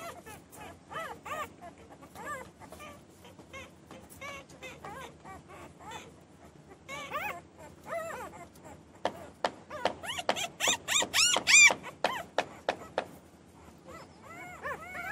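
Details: Newborn puppies crying, a steady run of short arched whimpers that grows louder and more piercing near the end, with sharp squeals among them.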